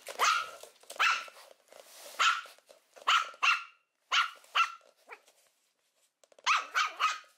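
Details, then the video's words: Puppy barking: loud, sharp, high-pitched yaps in quick pairs and triples, about a dozen over several seconds, each bright and clipped, with a short silent pause before a final rapid burst. "Los mejores LADRIDOS de PERROS CACHORROS"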